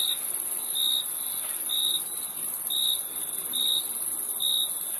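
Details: Crickets chirping: short bright pulses about once per second, set against an unbroken high insect whine and light background hiss.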